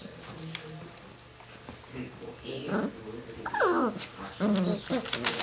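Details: Six-week-old longhaired dachshund puppies from one litter at play; a few steeply falling whines and a drawn-out low whimper near the end, over a steady room hum with clatter and faint voices.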